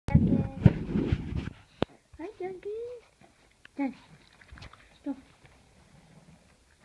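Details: Dog, one of two friend's dogs named Penelope and Duncan being looked after indoors over the Thanksgiving holidays; a loud, low, rough burst opens, then thin, wavering whine tones that rise and fall, separated by short breathy snuffles and quiet gaps.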